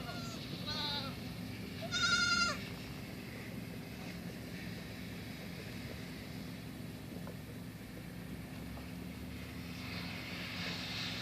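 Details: Young female goat kid playing, jumping onto a tree stump, launching off it and running around; two short, harmonic, nasal bleats near the start, the second louder and higher, then a low steady hum and faint outdoor noise.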